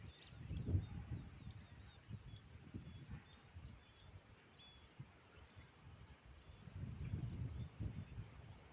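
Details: Insects chirping outdoors: short pulsed trills near a steady high whine, repeating roughly every one to one and a half seconds, over low rumbling wind-like noise.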